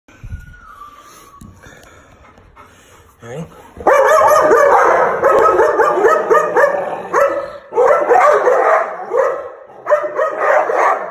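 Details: American Pit Bull Terrier snarling, recorded September 27, 2019; a few quiet seconds with faint tonal sounds, then loud rough, harsh bursts repeating rapidly in uneven runs for the remaining seven seconds.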